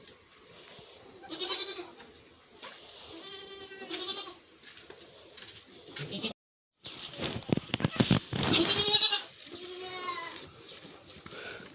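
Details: Goat kids on a farm, four born in a single delivery about half an hour earlier: high, wavering bleats recur in bursts every few seconds. A man speaks in Tamil between the calls, and clattering handling noises are heard.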